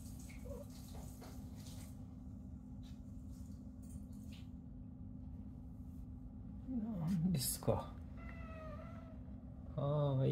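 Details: An indoor female cat tucked behind curtains, not wanting to come out and sounding like she is complaining, utters a couple of brief rising-falling meows near the end over a constant low hum, with some handling noise.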